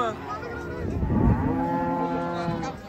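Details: Rampaging cow just off a truck: a thudding bump, then a strong, steady, drawn-out moo lasting over a second, with faint voices behind.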